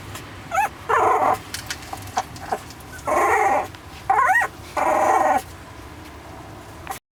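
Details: Eighteen-day-old San'in Shiba Inu puppy whimpering: rising squeaky whines alternate with several longer, noisy crying bursts, about six calls over seven seconds, with faint clicks between.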